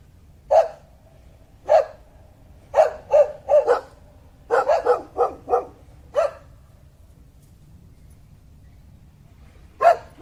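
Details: Dog giving short sharp barks, singly and in quick bursts of three to four, irregularly spaced over about ten seconds against a low steady background hum.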